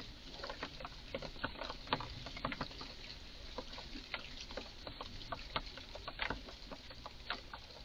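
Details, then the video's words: Garden recording of an agitated red squirrel making odd sounds: a run of brisk, clicky chucks at a fairly regular pace, with a low background rumble. "Eichhörnchen macht seltsame Laute"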